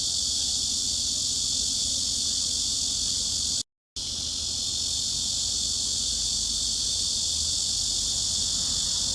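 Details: Cicada sound used as a mid-frequency tinnitus masking sound: a dense, steady, hiss-like buzz with no clear pulses, broken by a brief full silence near four seconds before resuming at the same level.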